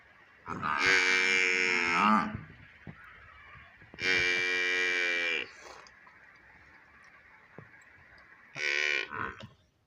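A water buffalo calf gives loud, drawn-out bawling moos, each lasting one to two seconds.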